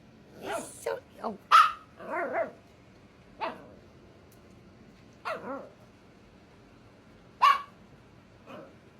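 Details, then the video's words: A 5-month-old Scottish Terrier-Chihuahua mix puppy barking at her 2-year-old sister to get her to play; several sharp high yaps in quick bursts with whiny growly tones between, spaced by short pauses, a person's voice mixed in. "Extremely Vocal Puppy Barking and Growling, Trying To Get Little Dog To Play."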